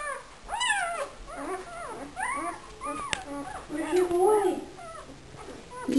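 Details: Talkative puppy in a whelping box complaining with a run of wavering, arched whines and squeaks, some breaking into lower moans, while a woman speaks softly over it indoors.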